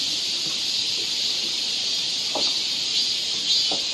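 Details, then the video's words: In a Korean summer forest near Seoul, cicadas keep up a constant shrill, buzzing drone, while a few brief lower taps or knocks sound through it. "cicada sound"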